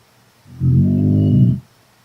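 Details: Mei Ling, a 10-month-old Chinese Shar-Pei kept as a pet, sleeping and snoring: one deep, rumbling low snore lasting about a second, rising and fading evenly in an otherwise quiet room.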